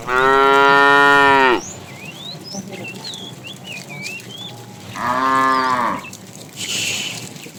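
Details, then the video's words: Fat tame cow calling the female while a herd is driven in the afternoon: a loud, harmonic-rich moo of about one and a half seconds, a pause filled with chirping birds, then a second shorter moo near five seconds. "The funny sound of a fat cow calling the female"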